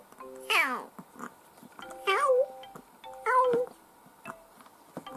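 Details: Growing pet kitten, two to ten months old, recorded 2018–2019: one sharp descending meow followed by two wavering, drawn-out meows, with soft background music between calls.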